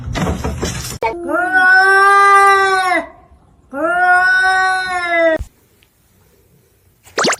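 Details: Cat giving two long drawn-out meows, each about two seconds, steady and strongly harmonic with a slight fall at the end. A brief burst of other noise precedes them, followed by a short sharp sound.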